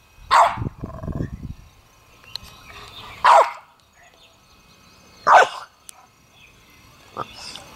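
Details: Loki, a puppy playing in a water pool, gives short barks roughly every two seconds, each a brief burst with a few quieter yips between, with faint splashing in the background.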